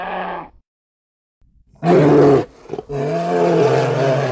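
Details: Bear roaring in deep, harsh, harmonic bursts: a short roar, a pause of about a second, then a loud half-second blast and a longer sustained roar, with no other sounds.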